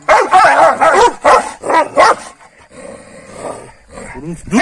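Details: Kangal dogs picking fights with each other in the morning after a rabbit was given at night: rapid, rough overlapping barks and growls for two seconds, then a man's voice scolding, with a few yelps returning at the end.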